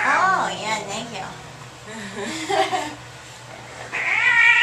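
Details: Angry cat in a carrier at the vet's office, wailing in harmonic yowls at the start and again at the end, with human speech between.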